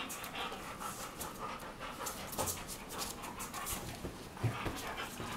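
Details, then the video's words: Two Weimaraner sisters, Jila and Faith from Cyprus, play-fighting on their bed in the morning; rapid, breathy panting bursts with rustling and scuffling over bedding throughout. "Weimaraners fighting on a bed"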